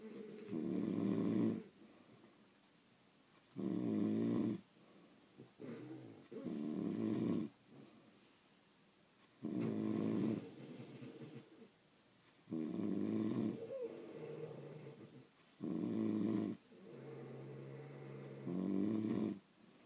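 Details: French Bulldogs, kept as pets, snore while sleeping: loud grating low rumbles roughly every three seconds, alternating with quieter wheezy breaths, steady through the whole stretch in a quiet room.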